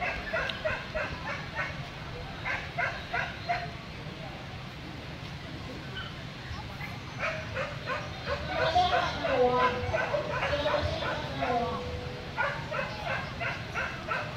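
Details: Corgi barking at a dog show in Vietnam, giving quick runs of sharp, bright barks in bursts of three or four, pausing, then barking again, over a steady murmur of crowd noise and voices.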